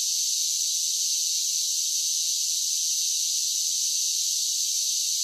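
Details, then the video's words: Summer cicadas singing in a continuous, even, high-pitched buzzing drone with no breaks or pulses. Nothing sits in the lower range, and no other animals, voices or music are heard. "10 Hours of Cicada Sounds for Relaxation with Soothing Summer Nature Sounds"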